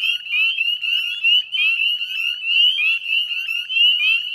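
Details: Many northern spring peepers calling together at a Nova Scotia salt marsh, West Chezzetcook, dusk, 18 May 2020: bright piercing upward-sliding peeps, closely packed and pulsing, forming a continuous high chorus.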